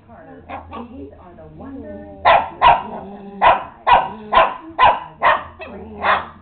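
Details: An upset pet dog barking in a home, with about eight sharp, harmonic barks in a steady run after soft whining and a laughing voice at the start; a low steady hum underneath.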